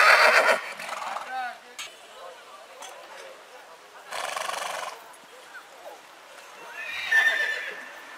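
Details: Horse neighing in spring, bright shrill whinnies at the start and near the end, with a noisy breathy burst in the middle and a man's voice faintly in between.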